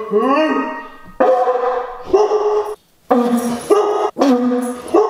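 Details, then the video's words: Siberian Husky reacting to a conch shell horn with a howling tantrum, broken into short, yodelling vocal bursts about a second long, each rising then dipping in pitch, separated by brief gaps. "FORCING A HOWLING TANTRUM OUT OF OUR HUSKY!"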